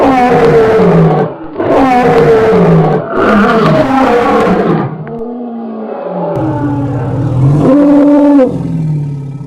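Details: Angered lion giving a loud roar, said to carry for kilometres and freeze other animals with fear: a series of deep, rough, grunting roars, then lower drawn-out rumbles, under orchestral background music.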